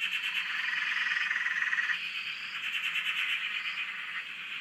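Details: Dense frog chorus at a dam in Australia, heard from a shack: fast pulsing trills throughout, one clear rattling call standing out for about a second, with faint higher upslurs above.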